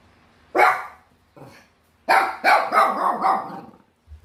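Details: Pet Bichon Frise dog, 806 days old, barking indoors in a small room: one bark, a soft yip, then a run of four or five fast, sharp barks.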